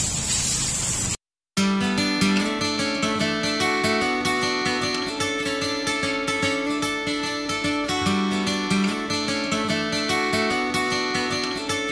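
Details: Strummed acoustic guitar music plays steadily throughout after a brief burst of noise and a short gap, with no animal sound heard.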